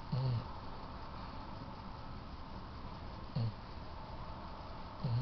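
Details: Riley, a yellow Labrador Retriever asleep in her owners' bed at night, snoring: three short low rasping snores spaced about three seconds apart, quiet room hum between them.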